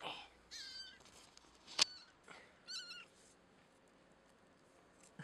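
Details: Indoor kitten held by the scruff of the neck utters faint, high, bending mews, two clearer ones near the start and around three seconds, with a sharp click between and quiet after.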